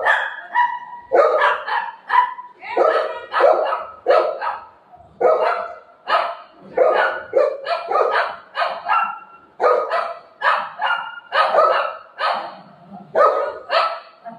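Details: Golden Retriever playing with its owner at home: short harsh barks repeated roughly every second in an even series, with a human voice talking at times between them.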